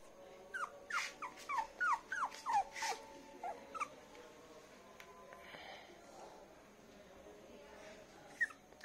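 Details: Poodle puppies, one of them light golden, on a bed: a quick run of about nine short, high, falling whimpers over the first three seconds, then quieter rustling with a man's voice in Hindi.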